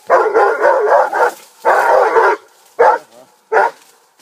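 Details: Armani, a 15-month-old Rhodesian Ridgeback, with a wild boar, barks in two long, rapid, rough strings followed by two short sharp barks.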